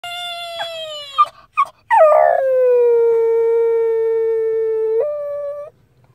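A Shih Tzu gives a long, wavering howl that sinks slightly, then lifts briefly before ending.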